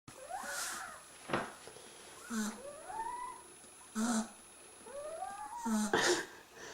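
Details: Three-week-old Beagle puppies snoring as they sleep: high, squeaky whistled tones rising and bending, recurring every second or so, separated by short breathy rasping bursts.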